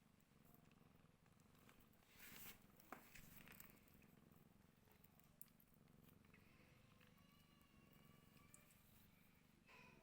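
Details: Mother cat feeding her hungry rescued kittens; steady low purring runs throughout, with a few thin, high, wavering mews near the end and brief rustling bursts around the second to third second.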